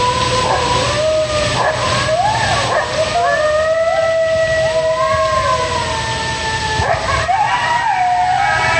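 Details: Coyote pack in full chorus after one animal starts calling: many overlapping howls that waver, rise and bend, layered into a dense tangle of tonal voices throughout, with a steady hum beneath.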